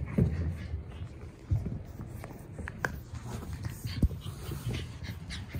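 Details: Boston Terrier siblings, pet dogs, recorded on 30 June: quick breathy panting pulses run through the clip with a few louder huffs and faint whimpers, over low indoor rumble.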